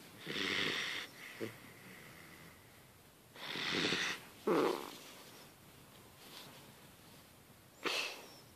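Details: Sleeping Hungarian vizsla puppy snoring in a quiet room, four separate raspy breaths a few seconds apart, hissy and wheezing, one with a short snort-like burst.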